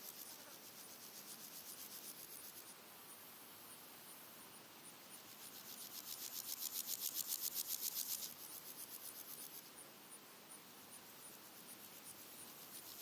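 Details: Three red-legged grasshoppers (Melanoplus femurrubrum) sing in daytime in early August, giving dry, rasping buzzes in steady rhythmic pulses over a hiss of other insects, with birds and wind in the background.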